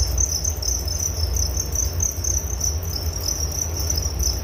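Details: Relaxing cricket sounds for bedtime: an unbroken high trill with even rapid pulses, a gentle low drone underneath.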